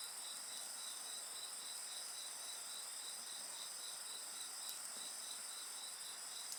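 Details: Beside a crackling bonfire, insects keep up an unbroken high chorus of layered trills, one voice pulsing quickly and evenly, with a few sharp snaps from the fire.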